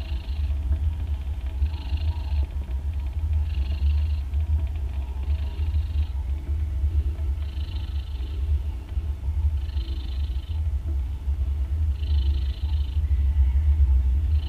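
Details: Mother domestic cat snoring loudly while nursing three day-old kittens, two orange and one grey, as they drink milk; breathy hissing snores recur about every two seconds over a steady, deep rumbling drone.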